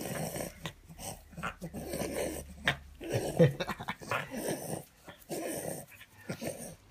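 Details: A male French Bulldog gives low, rumbling growls and wheezy snorts in irregular bursts as he is tickled, reacting playfully.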